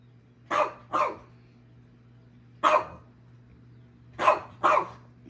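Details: Boston Terrier barking at a treat puzzle as if trying to move it with its voice; five short sharp barks, two quick pairs and one single, over a steady low hum, with a woman's voice encouraging nearby.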